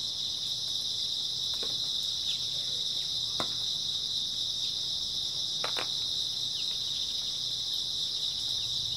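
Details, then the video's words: On an early autumn night grass insects keep up a shrill, uninterrupted chirping chorus, steady in pitch and volume, with a few faint clicks and small taps mixed in. "초가을 밤부터 새벽까지 백색소음 풀벌레 소리"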